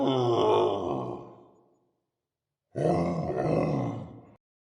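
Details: Gorilla giving two long, low, rough grunting groans, the first lasting almost two seconds and fading out, a short silence, then a second harsher groan of similar length.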